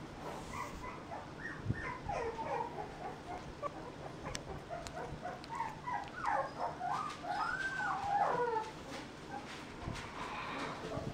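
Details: Mixed-breed puppy, shown from 35 days old, giving a run of short, high whining cries that rise and fall, packed closely together through most of the stretch over a faint steady background hiss.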